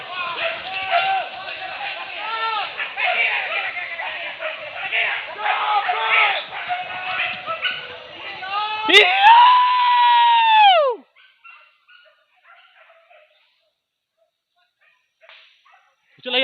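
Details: Several hunting dogs chasing wild boar pests at a hunt in Tarok, Sicincin, Padang Pariaman. A dense chorus of overlapping harmonic yelps and bays, then one long, drawn-out descending howl. Near silence follows, with a few faint distant calls.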